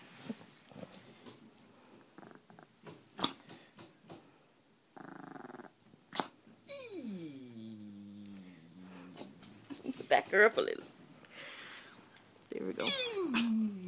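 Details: Small Peka-Pom dog, about five pounds, indoors, provoked by another dog doing a trick: scattered clicks and grumbles, then drawn-out falling vocal tones around the middle and again near the end, with people talking over it.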